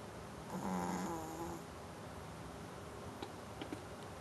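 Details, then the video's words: One drawn-out, rattling snore from Brewster the dog, rising then fading over about a second, followed by quiet breathing and small clicks. "Brewster snoring"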